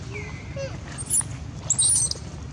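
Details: A baby monkey that was taken by another monkey gives shrill, high squealing cries, calling for its mother's help, over a steady low rumble.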